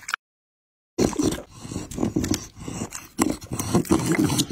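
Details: A Pit Bull feeding on raw meat and chicken; after a short silent break, loud moist chewing and crunching resumes in uneven clusters of bites.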